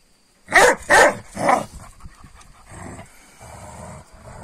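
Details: Kangal dogs, given a rabbit at night that a car had run over, picking fights with each other in the morning: three loud, harsh barks in quick succession, then lower rough growling noise.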